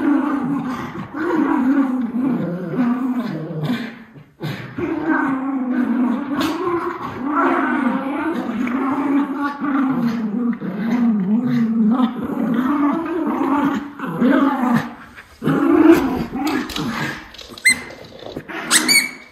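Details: Lucky, a Miniature Schnauzer, vocalising during indoor play with his brother Levi, December 20, 2021: long, steady, rumbling growls that rise and fall with brief breaks, sounding mean but playful, with scuffling and a few sharp knocks near the end.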